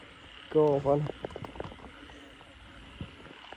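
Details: Frog croaking at night after heavy rain, past ten o'clock, in a rice field where frogs call all around during a frog-catching outing; one short two-part harmonic croak, followed by faint clicks and low voices.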